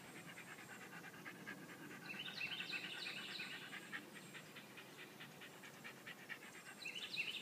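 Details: Welsh Terrier panting while playing with a ball: rapid, breathy huffs at about three per second, hissy and regular, with a few brief higher squeaky bursts in the middle and at the end.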